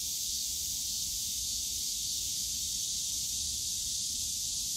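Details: Summer cicada chorus from the bamboo forest at Yongsan Family Park, an unbroken shrill buzzing wash held at constant loudness, over faint low-frequency park rumble.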